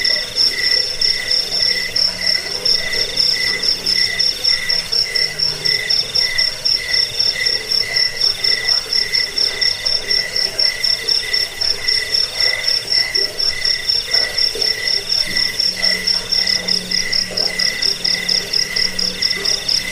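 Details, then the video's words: Chirping crickets for repelling rats, bedtime listening and teaching songbirds; a rapid, beaded high trill runs throughout over a second pulsing band, with a faint low hum appearing at the start and again near the end. "Suara jangkik pengusir tikus pengantar tidur"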